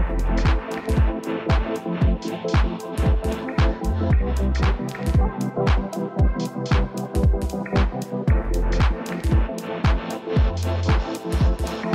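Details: Upbeat electronic dance music with a steady pounding beat and sharp percussive hits, about two beats per second; no animal voices are heard.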